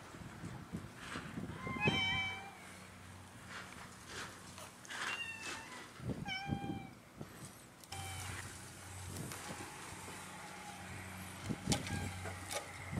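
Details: Cats of Japan's Cat Island making soft, scattered meows, a few clear wavering cries between quieter mews, against low background rumble and outdoor noise.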